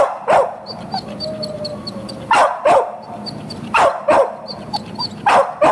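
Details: Boxer awaiting adoption, recorded 4 June 2015, giving loud, harsh barks in irregular bursts of one to two, about six in all, over a faint background of high, thin squeaks.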